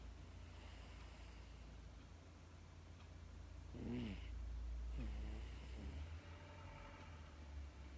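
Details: Sleeping Miniature Dachshund, a female house dog, snoring as she falls asleep. Quiet low hum, then a rounded harmonic snore near the middle, followed a second later by a raspy breathy snort.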